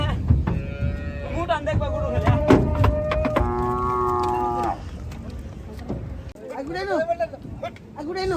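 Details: Big Gaiya cows and bulls unloading at a cattle farm; long steady moaning moos held for over a second, then shorter arching moos, with thumps and low rumbling noise behind.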